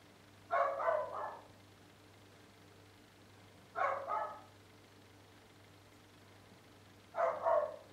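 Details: Dogs barking on 10 April 2013, a noise heard all day every day for eight years; three bursts of two or three quick, harsh barks arrive roughly every three seconds over a steady low hum.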